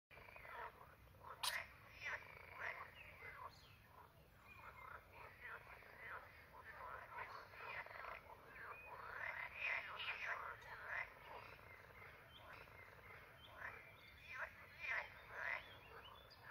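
Edible frogs give rattling, croaking calls in irregular bursts of quick pulses.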